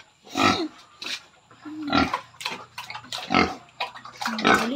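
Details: Pregnant sow near farrowing at 112 days makes loud, harsh grunts in irregular bursts, some with a brief nasal tonal edge, separated by short pauses, over a low steady hum.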